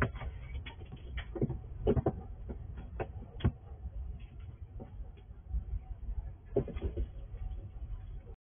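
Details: Eating in the dark at night, a wild squirrel at a house gives bursts of dry clicking crunches, a busy cluster early, a quieter middle, then more bites near the end; low hum throughout, night vision recording.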